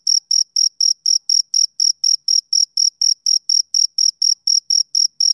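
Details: Male cricket chirping in summer evening calm, a tight, regular train of piercing high notes at around four per second, each short and uniform, no competing sounds.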